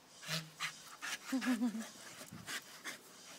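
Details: Staffordshire Bull Terriers breathing hard in spaced, airy pants, with a brief wavering whine-like tone in the middle and quiet surroundings between bursts.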